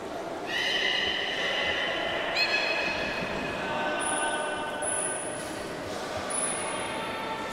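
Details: Beluga at Port of Nagoya Public Aquarium on 11 August 2018, while being moved between pools as keepers tried to swap Nana and Hodoi. Two long, level, harmonic whistles start a couple of seconds apart, then thin high tones over a steady hum of water and machinery.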